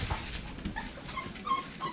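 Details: American Bully puppies from a litter of five females and one male, giving a couple of faint, brief high whines in a small room, with soft background noise.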